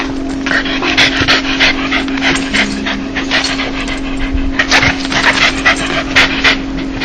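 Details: A happy, joyful dog gives a breathy laughing pant, quick airy huffs grouped in short runs with brief pauses between them, a constant low hum beneath.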